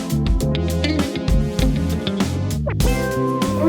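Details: Guitar music with strummed and plucked chords over a bass line, and no animal sounds.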